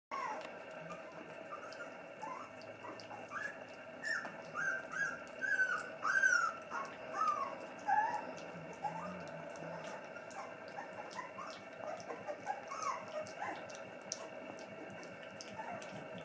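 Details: Schapendoes named Pippilotta, of Dancing Cloud, at dinner indoors in a small room: a series of thin, high whimpering whines that bend up and down, loosest in the middle seconds, over a steady low hum.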